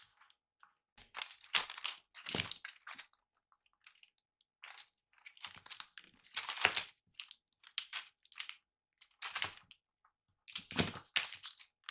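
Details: Soft crinkling and rustling bursts come and go against indoor quiet, with no animal voice heard.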